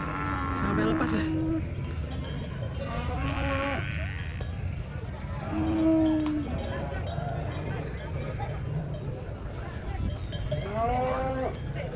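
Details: Sacrificial cattle rampaging as they are unloaded from a truck: several drawn-out, tonal moos come at about one, three and a half, six and eleven seconds, over steady crowd chatter and shouting.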